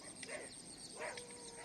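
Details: Pet dogs that unexpectedly started fighting with street dogs during a morning walk; two short, harsh barks about three-quarters of a second apart, over a faint steady high-pitched tone and outdoor background noise.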